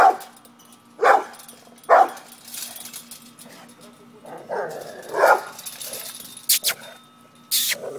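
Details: A pet pit bull confronting a cat at home: short, harsh barks near the first and second seconds and again just past five seconds, with scattered household noises and faint voices between them.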